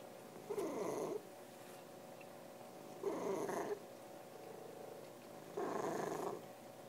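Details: Domestic cat making three throaty, rumbling purr bursts about two and a half seconds apart, each lasting under a second, with quiet breathing in between.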